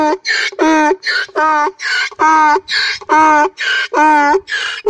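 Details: Young donkey in a village crying loudly: a long series of harsh, honking brays, each lasting about a third of a second with rich stacked overtones, repeating roughly every half second in a steady see-saw rhythm.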